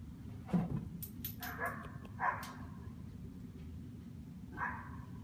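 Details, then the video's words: Pair of standard poodles warning off deer: a few sharp barks come in an uneven run, with clicks and a dull thump among them, and one last bark after a gap, steady low hum throughout. "Poodle chasing deer"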